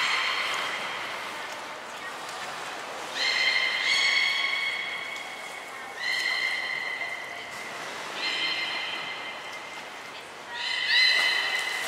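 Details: Captive belugas Mirai and Niko during training at Port of Nagoya Public Aquarium, February 2021: a series of short, level, harmonic whistles, whinny-like, about one every two seconds, over a soft hiss.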